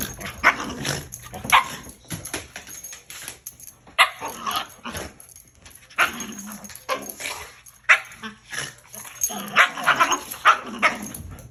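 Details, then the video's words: Shiba Inu and husky in a playful bed battle; rapid irregular barks, yaps and growls in dense bursts throughout, loud and continuous with little pause. "Bed Battle!!!"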